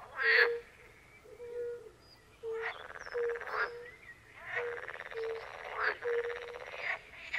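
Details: A chorus by a Polish forest pond: European fire-bellied toads give short, pure, low notes spaced under a second apart. Pool frogs and other frogs add long, loud, buzzy, rattling croaks over them.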